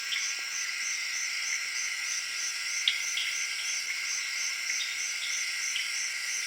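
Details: Crickets of the Zaire jungle calling at late evening with tree frogs, a constant shrill insect drone of stacked high tones, rhythmically pulsing on top, broken by a single sharp click.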